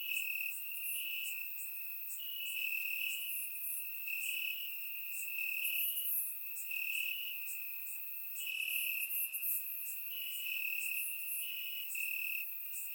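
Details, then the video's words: A chorus of crickets chirping in the grass on a warm summer night in Bulgaria, a constant high trill wavering between two pitches, with rapid bright chirps from many insects repeating throughout, recorded with a surround microphone. "Cricket Sounds - Crickets Chirping at Night"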